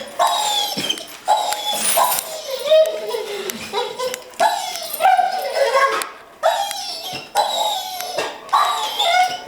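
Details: Excited domestic dog, trembling with eagerness to go to the park, repeatedly letting out bright, strained yelps and squealing whines in rapid bursts, with owners' voices in the background.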